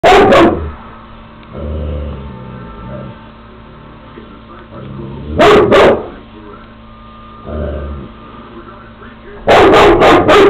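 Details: Female Great Pyrenees dog barking at a window; three loud, deep bark bursts at the start, middle and end, separated by muffled low thumps and indistinct background sounds.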